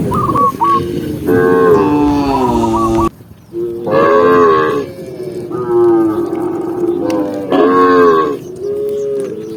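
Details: Cattle herd walking calmly on a green forest trail, giving repeated long, deep moos with rising and falling tones, brief quiet gaps between calls.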